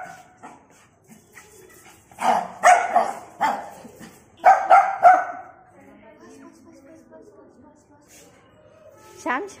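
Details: A Shih Tzu puppy, possibly about 5 months old, gives sharp, high yapping barks in quick bursts, with people talking nearby.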